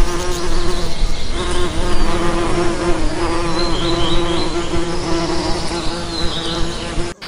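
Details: Nearby bee buzzing, a pitched hum that swells and dips in loudness over several seconds before cutting off abruptly.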